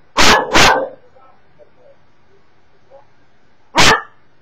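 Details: A Cocker Spaniel named Emmy, barking at YouTube videos, gives two quick, sharp barks, then a single bark after a short pause.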